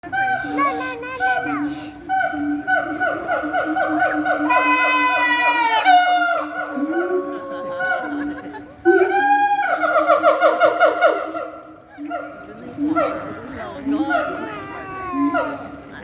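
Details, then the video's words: Siamangs at a zoo rainforest exhibit in Singapore sing loud, rising and falling whoops and barks that swell in a rapid, accelerating series, singing to strengthen their bonds. "Siamang singing loudly at Rainforest Wild Asia Singapore"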